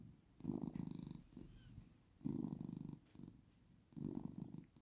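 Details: Close purring of a domestic cat: low, vibrating rumbles in three strong bursts about every 1.8 seconds, with softer purrs between.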